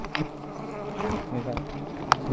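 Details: A dense, low buzzing hum of giant honey bees at high nests being harvested, with a few taps and clicks and a loud knock at the close.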